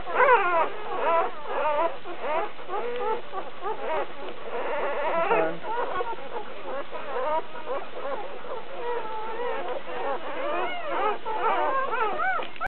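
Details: Litter of newborn puppies, two to three days old, crying and squeaking continuously: many overlapping high, arched whines and mewing squeals from several pups at once, with a brief low voice near the middle.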